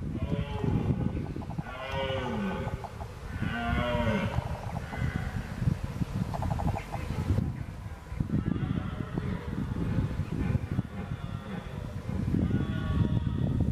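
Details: Red deer (Cervus elaphus): a red hind barks when alarmed, and a red stag gives deep, hoarse roars and grunts, with bellowing calls rising and falling in pitch.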